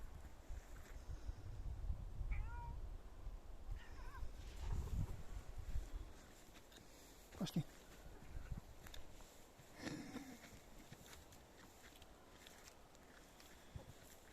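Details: Neva Masquerade cat out walking with its owners in a forest; a few short, thin, rising meows scattered through the walk, with footsteps, rustling and a man's voice calling.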